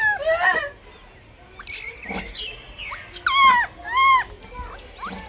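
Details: Blind baby monkey fighting for food: shrill, arching harmonic squeals, a rising-falling cry near the start and then a burst of sharp upward-sweeping screams and quavering wails with short quiet gaps between them.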